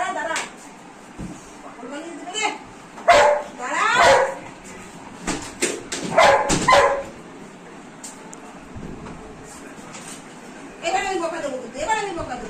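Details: Female Golden Retriever pet dog, excited after not seeing her owner all day, gives high, wavering whines that rise and fall, with bursts near the start and end. A woman talks to her soothingly in Bengali throughout.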